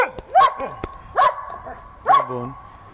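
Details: Giant Schnauzer Vito, playing and urged in Greek to sit up on its hind legs, gives three short barks at intervals under a second, mixed with sharp clicks and a person's voice.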